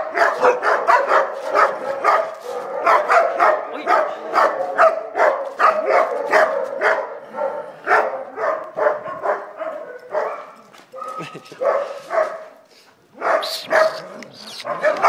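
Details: A Chow Chow at play gives rapid, repeated yapping barks, a couple each second, with brief pauses; Chow Chow.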